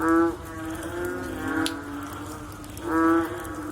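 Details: After rain, a frog gives a loud, deep, rich croak, a softer drawn-out moan follows, then another strong croak about three seconds after the first, over a constant low hum.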